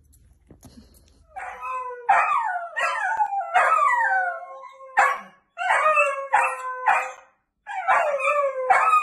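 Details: Miniature dachshund Luquita during her first bath, giving long wavering howl-like whines in bursts. Each cry bends up and down in a clear harmonic tone, and several seconds of steady crying are broken by brief silent gaps.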